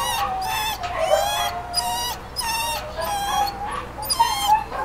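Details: . Two-year-old male Beagle/Pug mix in a kennel, wanting out, gives a run of high, wavering whining cries, rising and falling in repeated bursts about every half second to second with rich overtones.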